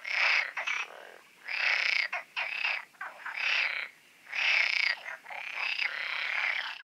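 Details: Frogs calling at night in the Oasis ponds, loud rasping rattles in bursts of about a second separated by short quieter pauses, several voices overlapping.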